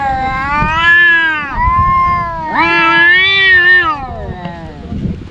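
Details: Fighting domestic cats, two brothers that clash daily, giving sustained rich yowls: a long wavering wail, a brief dip, then a louder rising and falling cry fading into low growling noise.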